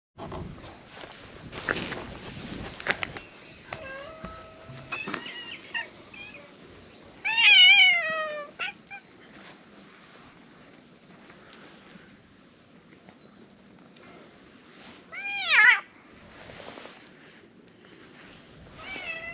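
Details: Many cats gathering around a seated visitor in a back alley of a fishing town, a large cat meeting; loud rising-then-falling meows at about seven and fifteen seconds, softer mews and rustling between.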